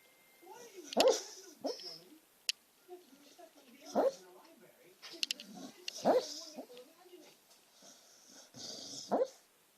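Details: Ramie, a female beagle mix, asleep and twitching while she talks and snores in her sleep: soft muffled whimpering moans and groans, rising and falling, recurring roughly every two to three seconds indoors.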